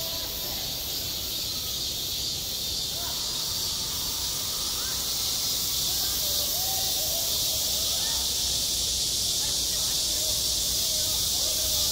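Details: Cicadas singing in high summer over a school playground: a dense, unbroken high-pitched hiss-like drone fills the upper range, with faint low murmurs and a few soft tonal sounds underneath.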